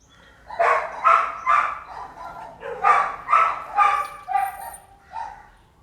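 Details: Red-nose American Pit Bull Terrier, a mother with puppies, barking steadily: about nine rough, mid-pitched barks in quick succession, roughly two per second, with a brief pause midway and a softer final bark.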